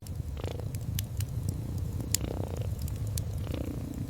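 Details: Cozy scene of a sleepy cat resting near the fireplace: a dense low purr runs throughout with gentle rhythmic swells and quiet breathing, punctuated by bright pops and crackles of the fire.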